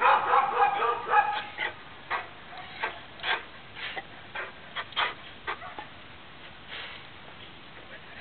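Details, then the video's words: Morning barking from a neighbour's dog: a dense opening volley of rough barks, then single and paired barks spaced about half a second to a second apart, gradually thinning out. "Annoying (neighbor's) dog barks"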